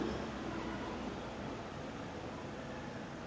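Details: Only a steady broadband hiss and rumble, like a fan or distant traffic, with no barking or other animal sound.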